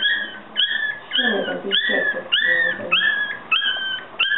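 Yorkshire Terrier puppies give high, thin whines repeated roughly twice a second.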